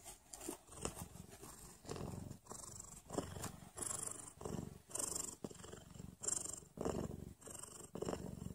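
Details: Mother cat purring shortly before going into labour; a steady, low, rough purr pulsing in rhythmic breath cycles roughly every 0.6 seconds, each surge rising and fading evenly.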